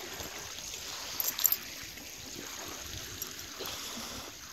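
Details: Running, trickling water with a faint high hiss and a few brief clicks; no animal calls.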